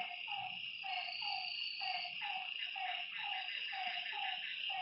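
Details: Frog calling at night beside a lake: short, slightly falling mid-pitched notes repeated about twice a second, set against a steady, dense high-pitched insect chorus.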